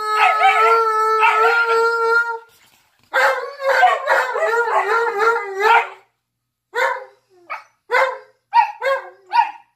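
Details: A husky puppy and a malamute, which howl together every day, give long, quavering, yodel-like tones that rise and fall, then break into short, clipped yips and whines.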